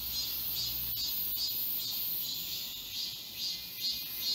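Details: Midsummer cicadas in the Galsan Park forest, Yangcheon-gu, Seoul; shrill continuous buzzing with regular rhythmic pulses roughly twice a second, several insects overlapping in a thick high chorus, a few sharp clicks.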